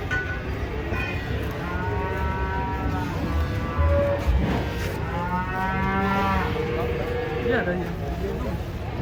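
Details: Large cattle being unloaded from a truck in Indonesia moo repeatedly, several drawn-out calls with rich harmonics that rise and fall in pitch, overlapping one another amid the noise of handling.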